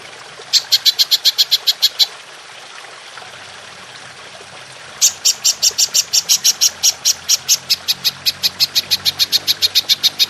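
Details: Belalang emas, the golden grasshopper, in a long 'nembak panjang' style recording for training songbirds: a short train of bright, high clicks, a three-second gap, then a long even run of rapid pulses lasting over five seconds.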